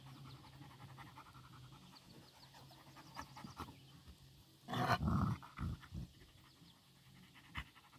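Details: Nix, a Labrador, and Lola, a husky-shepherd mix, tussle with Happy, a Dachshund. After quiet breathing and a low hum, a sudden loud snarling growl erupts around five seconds, followed by a few shorter gruff bursts and a sharp knock.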